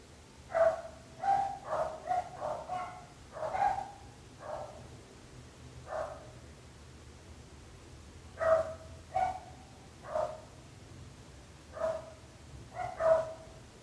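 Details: Loud, insistent barking from a neighbour's dog: rapid runs of sharp barks in the first five seconds, then spaced single and paired barks, over a faint low hum.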